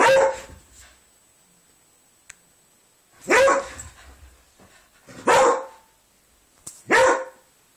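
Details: Indoors, a Spaniel and a Beagle play together while one of them barks: four loud, harsh barks spaced about two seconds apart, each a short noisy burst with a brief low grumble between them.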